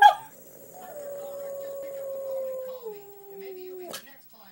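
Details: Boston Terrier singing for the first time: one long, thin, steady howl held for about two seconds, then stepping down in pitch and fading, with a brief sharp noise near the end.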